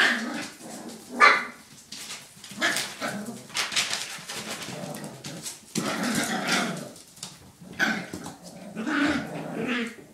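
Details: Puppies playing together, five in all, with a steady tumble of high yips, little growls and whimpers over constant scuffling.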